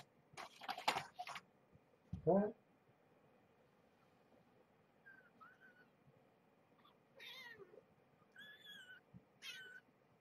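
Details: Young kittens at evening play time, being handled indoors: a burst of rustling handling noise and a short human voice, then four thin, high-pitched mews that rise and fall, spaced roughly a second apart in a quiet room.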